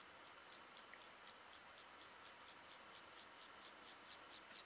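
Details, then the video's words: Club-legged grasshopper, Gomphocerus sibiricus, at Leogang, Austria, on 5 September 2023: a series of short, high, rasping pulses repeated about twice a second, growing steadily louder through the phrase, over faint background hiss. "Gomphocerus sibiricus -- Sibirische Keulenschrecke -- Club-legged Grasshopper"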